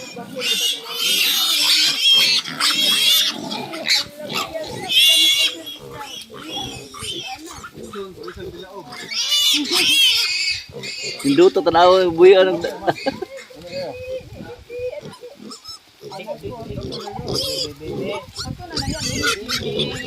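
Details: Native pigs on a farm in Bohol with a banana plantation: loud harsh squeals and noisy broadband grunts in irregular bursts, one tonal wavering squeal near the middle, with people talking throughout.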